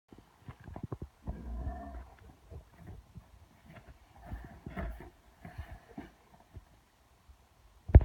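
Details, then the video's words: Mastiff growling at himself in a mirror: low rumbling growls in bursts, the longest near the start, with softer broken grumbles after and a sharp knock at the end. "Mastiff growling at himself in a mirror"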